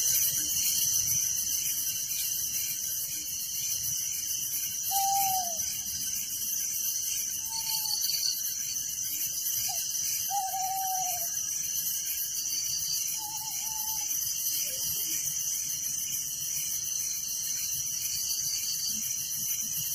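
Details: Crickets chirping at night in a village: a dense, unbroken high-pitched chorus of many callers with a steady pulsing trill beneath it. A few short, lower whistled notes break in between five and fourteen seconds.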